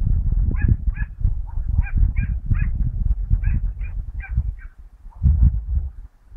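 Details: A Dachshund gives quick, sharp yapping barks, several each second, while hunting rabbits on 22 August 2012.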